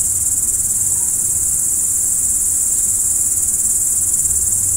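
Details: Crickets at night, a dense chorus forming one continuous, very high-pitched shimmering trill with fast steady pulsing, unbroken throughout, over a faint low rumble.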